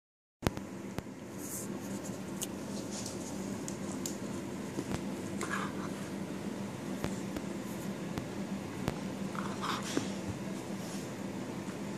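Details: Quiet indoor room tone with scattered scratching and tapping, soft faint murmurs and a steady low hum, with no animal voice.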